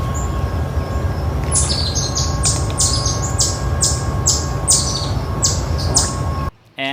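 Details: An eastern chipmunk in the eastern US, sitting up and giving its repeated alarm call: a sharp, high, bird-like chip about twice a second, likened to a northern cardinal's call, over a low rumble and faint hum.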